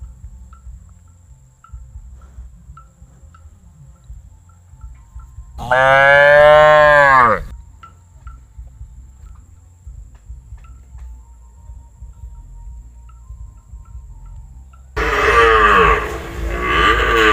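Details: Tame, very cute calf unafraid of people, giving two loud moos: a rich, harmonic bellow about two seconds long that bends down in pitch, then after a quiet gap a second, rougher moo.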